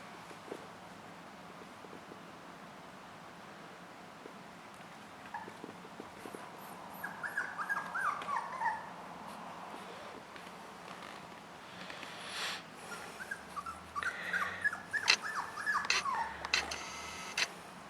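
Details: Puppy Jack Russell Terrier called Doctor at play: a long quiet stretch, then bursts of thin squeaky whines and yips in two clusters, interleaved with rustling and soft knocks.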